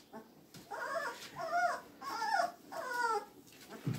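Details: Magyar Vizsla puppies whimpering: four drawn-out, wavering whines, each about half a second long, rising and falling in pitch and following one another in steady succession, with a quiet background.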